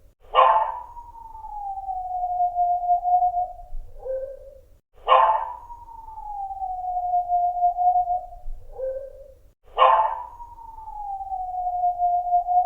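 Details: Dog making three long, drawn-out howling cries, each starting with a harsh onset, sliding gently downward and ending in a short lower note, repeated about every five seconds.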